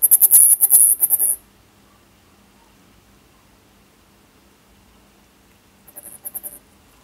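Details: Zhuzhik, a Siberian flying squirrel, trilling in spring: a loud run of quick, shrill, high-pitched pulses lasting over a second, then quiet, then a shorter, softer trill near the end.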